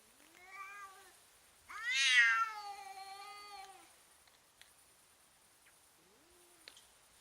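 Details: Fighting cats intimidating one another make strange sounds: a short meow, then a loud rising wail peaking around two seconds and sliding into a long moan, followed by faint clicks and a brief rising squeak.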